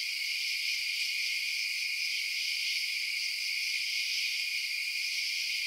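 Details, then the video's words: Night-time crickets fill the air with a continuous high, ringing trill, many chirps blending into one even wall of sound that never pauses. "Night Sounds Crickets Chirping"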